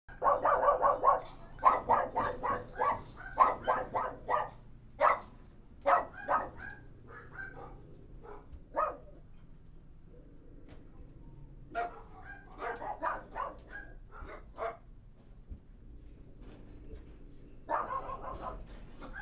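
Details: Dogs inside a kennel bark in quick bursts of sharp, mid-pitched woofs, clustered in the first few seconds, then sparser single barks with quiet gaps, and a final flurry near the end over a low indoor hum.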